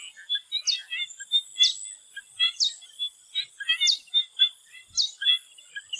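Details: Frogs in a swamp in Thailand before sunset give clustered clicking pulses. A sharp falling chirp repeats roughly once a second above them, over a constant high insect-like drone.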